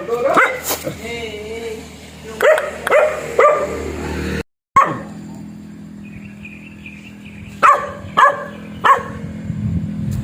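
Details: Black dog barking in short separate yaps, a few near the start and three close together near the end, with human speech and a faint steady hum behind.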